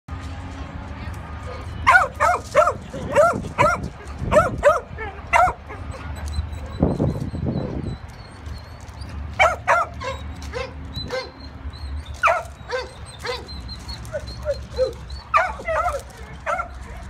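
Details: A stray, intact male Weimaraner, about one year old, at an Indianapolis animal shelter on 1 November 2016, barks in loud, echoing bursts, often doubled or tripled, with brief pauses between volleys.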